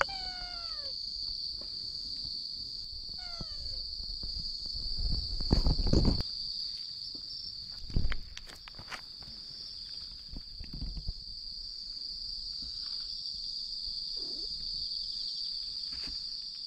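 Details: Black-and-white stray mother cat calling to her kitten while going back and forth to her father, a ginger tabby, October 2021: two short falling meows with clear harmonics near the start, over a steady high cricket chorus and some rustling.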